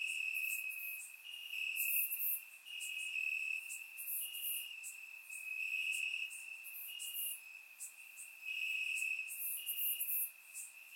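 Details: Warm summer night in Bulgaria with crickets chirping in grass, surround-microphone recording; a continuous piercing trill swells and fades while clusters of rapid higher chirps break in repeatedly.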